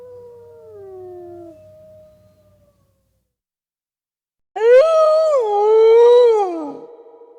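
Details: A faint falling wolf howl tails off, silence follows, then a loud, rich howl starts that wavers up and down in pitch for about two seconds before sliding down and ending.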